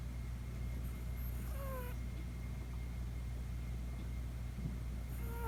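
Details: Sleeping Chihuahua puppy at night, heard snoring for the first time; faint high whistled nasal squeaks sliding down in pitch, one pair early and another near the end, with a constant humming background.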